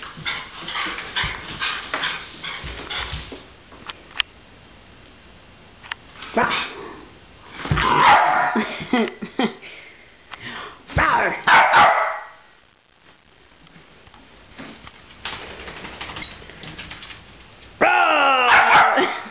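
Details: Pet dog named Lily, excited and bugging out after a bath indoors; a few loud harmonic barks and yips come in bursts, with rustling, thumps and the owner talking between them.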